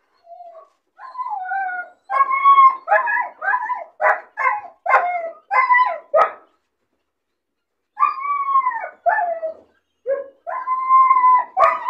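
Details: Lonely, bored puppy caged alone, crying when it sees other dogs playing outside: high whining cries that bend up and down, mixed with a run of short yelping barks, then more drawn-out whines after a brief pause.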